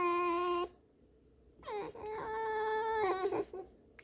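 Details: Indoor pet fox, told off for chewing a rag, lets out a short steady squeal, then a long, wavering, squeaky whine that climbs at the start and breaks into rough catches near the end.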